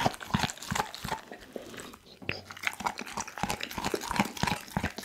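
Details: Close indoor recording of Doggy, a pit bull, devouring a whole raw chicken: quick rhythmic crunches about three each second, wet smacking and crackling bites, with a momentary pause after the first two seconds.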